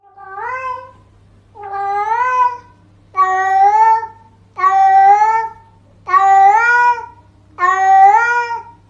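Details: A domestic cat gives six long, drawn-out harmonic yowls, each rising then falling, about every one and a half seconds.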